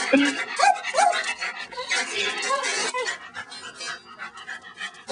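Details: A female dog named Tilly chases a praying mantis in November 2006. A few high, bent whimpering yelps come quickly in the first second, then fade under human chatter and panting-like noise.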